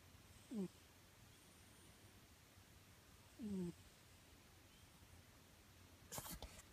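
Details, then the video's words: Nyankichi, a house cat, snores in deep sleep; two soft, downward-sliding tonal snores about three seconds apart, followed by a brief sharp rustling or clicking noise near the end. "猫のいびき Snoring of the cat"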